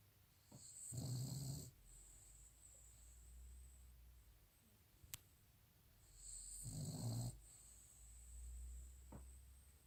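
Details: Sleeping Cavalier King Charles Spaniel, May 2018, gives low, rough snores about every five to six seconds, with quieter breathing between them and a faint electrical whine behind.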